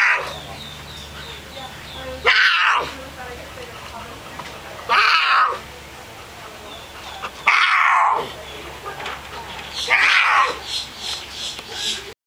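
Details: Mia, a female domestic cat in heat, caterwauling loudly and often: four drawn-out, harsh, wavering yowls about every two and a half seconds, with a soft female voice speaking gently between them in a quiet room.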